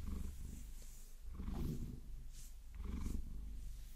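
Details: Low rumbling purr from Vasilisa, a Maine Coon, during a long-nail massage, rising in two slow swells across four seconds beneath soft scratching and brushing noises.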